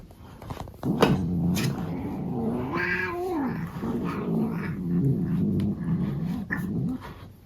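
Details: Indoors while being brushed, a male cat lets out a long, low, wavering growl-moan that rises and falls in pitch for several seconds, with brief rustling from the brush.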